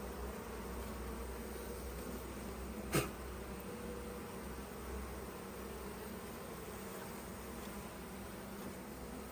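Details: Busy colony of honey bees in an opened hive during a honey harvest, frames being lifted out; continuous low buzzing hum with a single sharp click near the middle.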